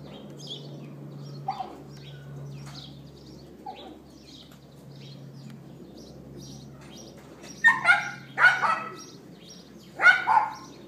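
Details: Neighbour's dog left outside, filmed on an iPhone 4S on April 18th 2012 at 11:31 AM, yapping: faint scattered yaps at first, then three loud, sharp barks in quick pairs near the end, over a steady low hum.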